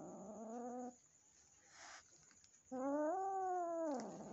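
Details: Resident cat and a nervous, newly adopted kitten meeting at home; a steady moaning yowl, a brief hissy pause, then a louder yowl that rises, holds and drops away at the end.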